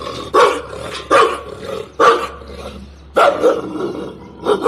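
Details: A pet dog barking from a terrace at another dog: loud, harsh single barks about once a second, with some growly rumble between them.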